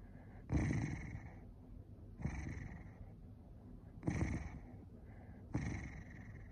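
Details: Angry Corgi: four short, gruff growling bursts spaced about one and a half seconds apart, each quickly fading into a low background rumble.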